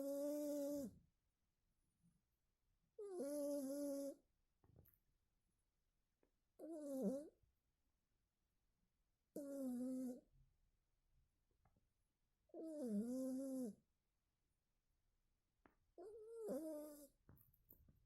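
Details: A cat snores in its sleep. Each breath is a humming, bending tone over a breathy hiss, lasting about a second and returning every three to four seconds, with near silence between.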